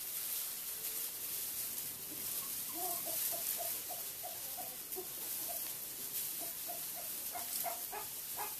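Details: Tamworth x Large Black piglets, only a few hours old, born at lunchtime and playing in the mid-afternoon of August 21, 2012; a run of short, high squeaky grunts repeating several times a second, with steady background hiss.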